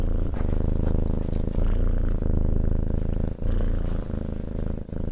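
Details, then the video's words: Petted house cat giving a loud, close rumbling purr, low and even, with brief dips where the breath turns over roughly every one to two seconds. "Cat Petting and Purring"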